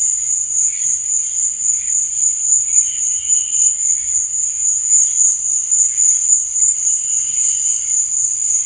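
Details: Unbroken high, thin cricket trilling at night, rapid and steady in loudness, with occasional softer lower chirps rising briefly in the background.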